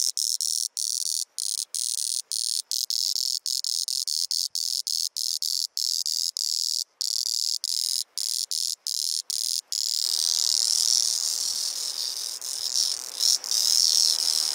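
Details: A male cicada, Auritibicen bihamatus, on Kunashir Island in the Kurils, sings a loud, high, shrill buzz, broken at first by brief regular pauses; only males sing.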